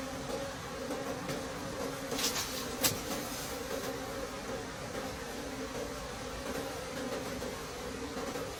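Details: Wild bees at a nest deep in the forest during a late-season honey harvest: a steady, low droning buzz with a clear overtone, humming evenly throughout, broken by a couple of sharp clicks midway.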